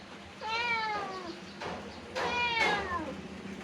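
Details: Pet cat returning after wandering to the neighbour's house in search of its owner; two long, falling meows about two seconds apart, answering a person repeatedly calling it to come home.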